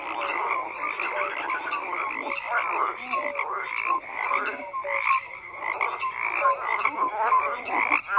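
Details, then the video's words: Overlapping frog croaks form a steady chorus of harsh, pulsed calls and little tonal chirps, the mass of voices dipping briefly near the middle before building again. "FROGS CROAKING"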